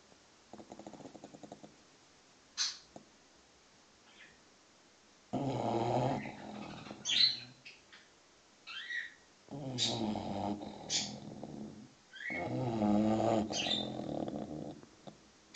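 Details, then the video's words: A 6-month-old English Bulldog puppy sleeps and snores in long raspy, rattling bursts separated by quiet gaps, while sharp chirps from noisy birds cut in between. "Snoring bulldog (6 months old)"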